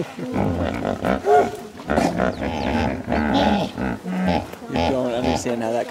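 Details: Dense chorus of hippopotamuses in a big Serengeti hippo pool, overlapping low rumbling, buzzy honks and groans that barely pause, rising and falling in loudness; people murmur in the background.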